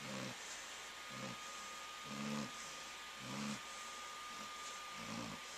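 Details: Flounder, a female Labrador Retriever and longtime snorer, sleeps with Conal the dachshund resting beside her, 13 March 2011. Low, rough snores repeat about once a second in an uneven rhythm over a steady faint electrical hum.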